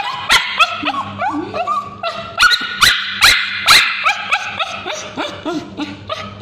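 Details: Male Bichon Frise, suffering from scabies, screams as ointment is put on his tail by a babysitter. Rapid run of piercing, bending yelps with sharp broadband peaks, uneven spacing, some lower whining notes between.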